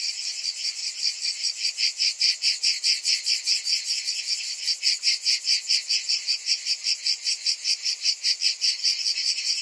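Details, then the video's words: A high, sizzling drone from a summer cicada chorus. It beats rhythmically about two and a half times per second and strengthens into crisp, even pulses through the second half. "Cicadas in Summer"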